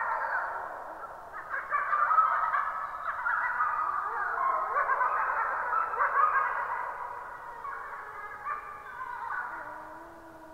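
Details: At 23:21 on 26 April 2022, several gray wolves (Canis lupus) chorus-howl together in overlapping, wavering, sliding tones.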